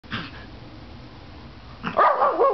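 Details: Pomeranian, one of two dogs in a barking contest indoors; a short faint yap near the start, then from two seconds a loud, wavering, yodel-like bark-howl with rising and falling pitch.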